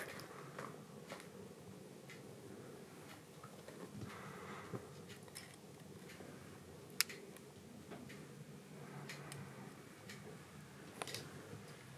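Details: Quiet indoor room with soft scattered taps and clicks and one sharper snap; no animal call.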